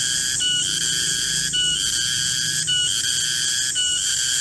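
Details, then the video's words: Cicada known locally as garengpung, calling in a garden at midday: an intense, buzzing, high-pitched whine with regular brief dips roughly every second, over a quiet low background hum. "Suara garengpung di kebun"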